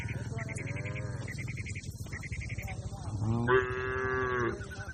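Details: Cattle herd grazing in a broad green field: faint lowing early on, then a strong rising-and-holding moo near the end, with short repeated chirps of small birds in the background.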